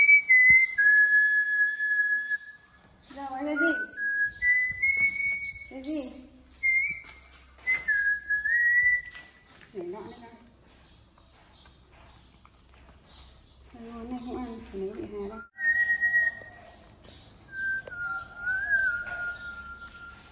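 A young monkey gives thin, high whistled squeals, flat or gently falling, amid human voices.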